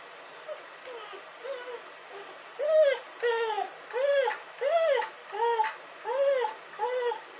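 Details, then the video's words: Dog crying in steady, pleading whimpers, each a short arch of rising then falling pitch, growing louder partway through and repeated at a regular pace, nearly one and a half per second. "dog crying and hurling!"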